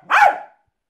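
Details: A Jack Russell terrier performing tricks gives one short, sharp bark after a trainer's cue, rising then falling in pitch and fading quickly, followed by silence.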